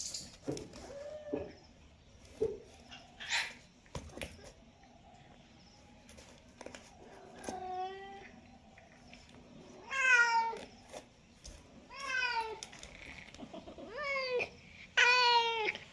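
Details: Domestic cat calling again and again, a series of five or six wavering, slightly rising meows in the second half, following assorted clicks, thumps and short squeaks.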